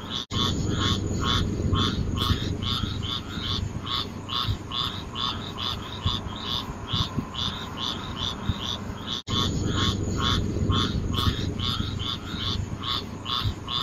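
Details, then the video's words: Frogs calling in a steady chorus, short croaks repeated about twice a second with bright upper tones, over a constant low rumbling background; brief dropouts where the recording is cut. "Nature Sounds frog"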